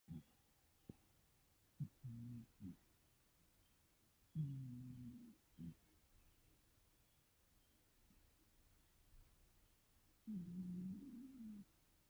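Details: A 17-year-old cat snores while dreaming and twitching indoors: low, throaty rumbling breaths come in irregular bursts of about a second, separated by long quiet gaps in a silent small room.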